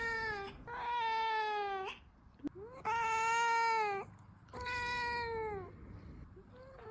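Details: Kitten at play giving long, drawn-out meows, each sustained about a second with rich harmonics, three main cries separated by brief pauses, fairly quiet background.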